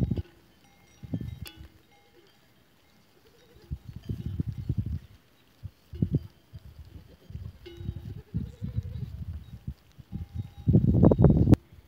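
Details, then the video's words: Goats recorded on 12 April 2023, bleating in short wavering bursts with low rumbling noise between calls, faint cowbell tones ringing now and then in the background. "Capre 12 aprilie 2023"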